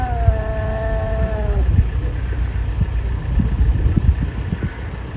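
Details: Domestic cat, possibly bullying another cat, letting out a loud wavering yowl that slides gradually downward for under two seconds, followed by heavy low rumbling and scattered knocks.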